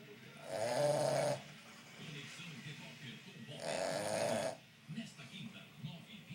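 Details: A sleeping Boston Terrier snores in two long, rasping breaths, each lasting about a second.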